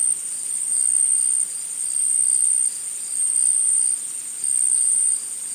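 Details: Forest insects in a dense, steady chorus of high-pitched shrill buzzing. The loudness rises and falls in broad steps lasting one to two seconds, with no other clear sounds.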